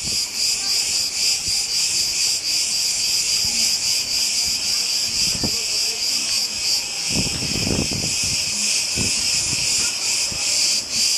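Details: Cicadas on the Greek island of Crete sing a loud, steady, shrill buzz that pulses slightly without pause.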